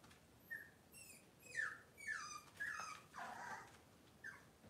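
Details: Cavalier King Charles Spaniel puppy whimpering indoors on a kitchen camera on a cloudy Monday morning: a string of high, wavering whines that slide downward, each about half a second, with a brief pause between cries.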